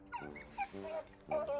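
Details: Kotaro, a male Asian small-clawed otter lying down, begs for more chicken jerky with three short, squeaky, whining calls, each rising and falling in pitch over less than two seconds, the last drawn out.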